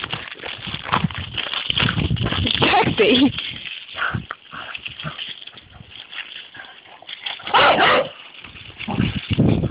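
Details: Two dogs, a Golden Lab trying to lead another dog on a walk by the lead while the other resists; short barks and whimpers break out in bursts, with human speech and rustling throughout.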